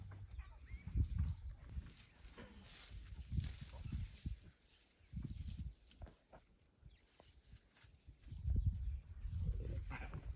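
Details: Wild male lion roaring at close range in Tanzania, Africa: deep, low rumbling grunts in separate bursts about every two to three seconds, with a longer, louder series near the end and faint rustling between calls.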